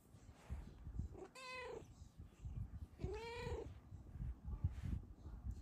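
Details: Bengal cat Luna content on her sleeping owner, giving two drawn-out meows about a second and a half apart, each bending up then down, over a low rumbling background.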